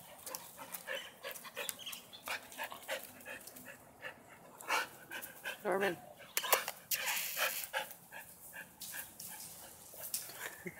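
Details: Great Dane at playtime, barking and grumbling in rapid uneven bursts, about eighty sounds a minute, while a person's voice cuts in between.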